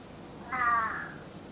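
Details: Indoor domestic cat at home giving one short, flat, nasal meow lasting about half a second over quiet room noise.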